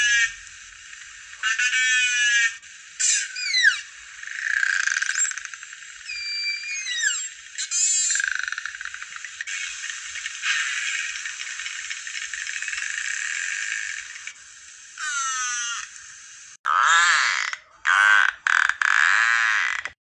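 Narwhal vocalizations: rising and falling whistles mixed with rapid clicks and buzzy pulsed calls.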